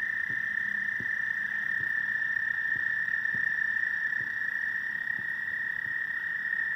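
A frog gives a steady, high, unbroken trilling croak, with faint low knocks beneath it.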